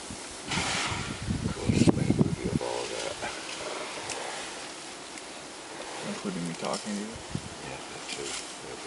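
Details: African elephants (Loxodonta africana) squabble in Kruger while feeding by stripping trees: a loud, harsh roaring outburst rises above low rumbling sounds.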